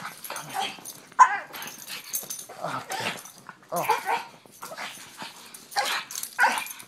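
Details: Pug dog giving a run of short, sharp barks and yips, about six loud bursts spread over seven seconds with brief pauses, while a person speaks softly in between.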